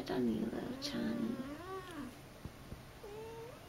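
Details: Akari, a female pet cat, during her first two months in a new home: a long wavering meow that dips and rises over two seconds, then a shorter rising meow after a pause, with faint taps in a quiet room.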